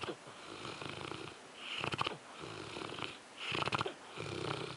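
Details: A French Mastiff named Zues snores in its sleep. Two loud, rattling, vibrating breaths swell up about two seconds apart, with softer raspy breathing in between.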